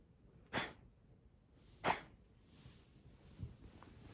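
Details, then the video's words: Asthmatic brown tabby house cat on 27 February 2021 gives two abrupt, breathy coughing bursts about 1.3 seconds apart, followed by a softer third huff in a quiet indoor setting. "咳の様子 coughing cat"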